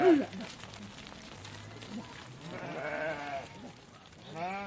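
Sheep bleat from a flock, with wavering, nasal calls overlapping one another.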